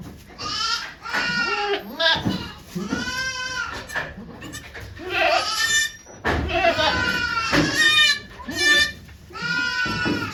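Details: Goats at Yoshigake farm on 3 May 2023, during Okayu's delivery of two kids in Golden Week, watched by many volunteers; repeated harmonic bleats, some long and wavering, overlapping with people talking nearby.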